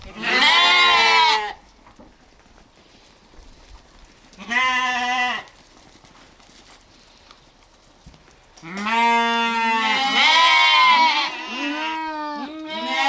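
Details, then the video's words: Lambs and sheep giving loud, rich, quavering bleats: a long call at the start, another around four seconds, then overlapping bleats from more than one animal running through the last four seconds. "sounds of sheep , Sheep Sound , lamb noises"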